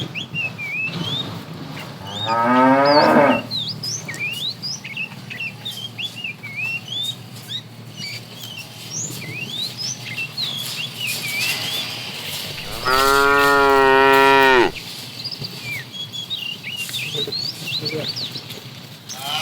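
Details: Fat cow in a herd of tame cattle, herded in the afternoon, calls the female: a short, wavering moo early, then a long steady moo around two seconds, over a backdrop of constant chirping birds.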